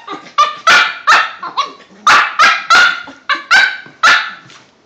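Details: Cavalier King Charles Spaniels at play, one five months old and one two years old: a string of loud, ringing barks with rich harmonics, about two per second, some rising then falling in pitch.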